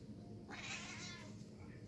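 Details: Female domestic cat indoors at breakfast gives one short, breathy meow of under a second, strained and noisy rather than clear, over a quiet room's low steady hum.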